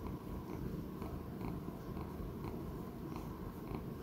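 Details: Purring from a male Persian Chinchilla cat, about 15 to 16 years old, kept as a pet and filmed on 11 October 2019. Steady low rumble with faint soft clicks recurring roughly every half second.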